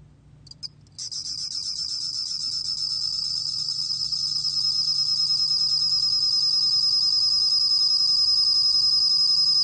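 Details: A bell cricket (Korean name 곰방울벌레), recorded in 2020, sings a high, steady, ringing trill that runs on without a break.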